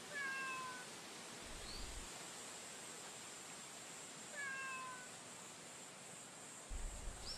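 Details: Stray female cat met outdoors on a daytime walk meows twice, each call a clear falling note, about three seconds apart. Brief low thumps and constant background hiss are also heard.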